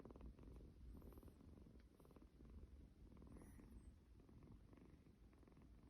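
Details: Kitten purring, a snore-like sound, while being cuddled: a steady low rumbling throb of fast, even pulses through the whole stretch, with faint scratchy rustles above it.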